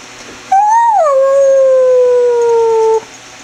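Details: Greyhound named Chevelle giving a long roo: a single tonal howl rising briefly then sliding down and holding steady, fading out after about two and a half seconds in a quiet room.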